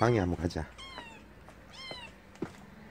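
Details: Kitten giving two short, high, thin mews with a falling tail, after a burst of loud human speech at the start; quiet room hum underneath.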